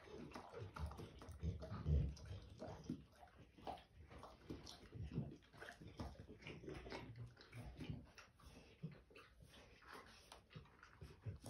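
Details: Dogue de Bordeaux slobbering and foaming while eating: wet, irregular smacking, lapping and chewing noises with occasional louder slurps, close and indoors.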